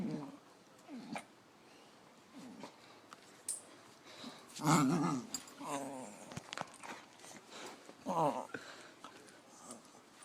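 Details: Dog making weird sounds in a small room: mostly quiet background with scattered soft grunts, then a louder rough, growly moan mid-way and a wavering whine-like phrase later.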